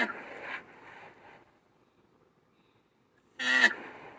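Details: A black rhinoceros (Diceros bicornis) gives two harsh, breathy bursts with a squealing tonal edge, separated by silence.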